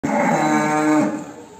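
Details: Cow in a cattle breeding pen after a calf's birth gives a single loud, steady, low droning moo lasting about a second, then fading out.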